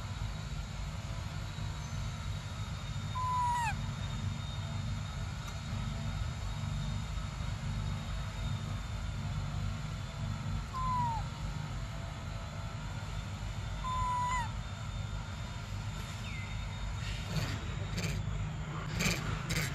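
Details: Briar, a baby monkey, cries out desperately for milk: three short, clear wailing notes, each dropping at the end, spaced several seconds apart, with a low steady rumble and a few sharp clicks near the end.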